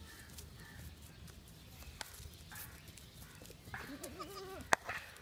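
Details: Baby goats eating grass and playing on a field; a single short, quavering bleat rises and falls near the end, over a quiet, hissy outdoor background with a sharp click just after.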